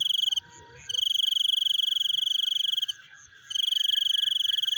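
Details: Frogs heard chewing at night: a high, fast-pulsed rattling trill running about two seconds between short pauses, with another starting at the end, over a faint steady chorus of lower clicks.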